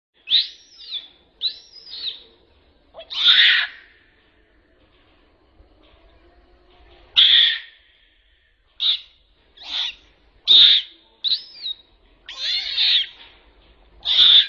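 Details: A trapped baby Asian macaque cries for help, extremely scared: shrill, arching wails and ragged, harsh screams in irregular bursts, sometimes several in quick succession, with short quiet gaps between.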